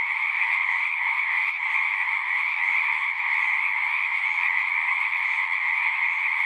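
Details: Pond frogs calling together in a horse pasture, Zoom recording: a thick, continuous chorus of high trills that holds a steady level throughout, with no pauses between voices.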